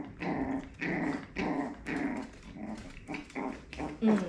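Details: Four-week-old female Jack Russell terrier puppy learning a lesson from her mother indoors: rough pulsing growls repeat about every half second, and a person's voice is heard toward the end.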